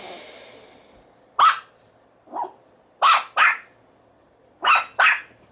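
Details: Small male Yorkshire Terrier puppy with FCI pedigree barking: six sharp, bright yelps over four seconds, a softer lower one after the first and two quick pairs, with a faint hiss at the start.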